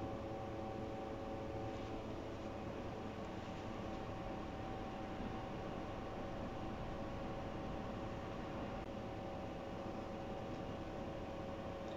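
Only a steady mechanical hum, like an engine or appliance, with no animal voice.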